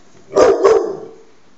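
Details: Dog giving two sharp, loud barks in quick succession, about a third of a second apart, then quiet.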